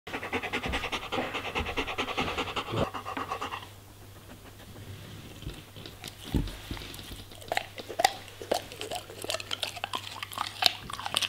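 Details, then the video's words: German Shepherd dog eating vegetables and fruits: rapid rhythmic panting for about three and a half seconds, a quieter pause, then irregular wet crunching and chewing clicks, over a steady low electrical hum. "German Shepherd Eating Food ASMR - Vegetables & Fruits"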